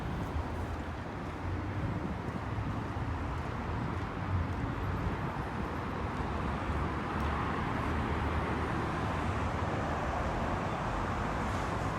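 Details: Steady street traffic rumble with passing vehicles and light wind, with no animal voices.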